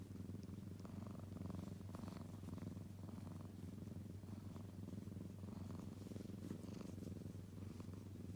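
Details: Young kitten purring continuously, with a deep even drone and regular breathing pulses in the rumble, plus faint rustling above it.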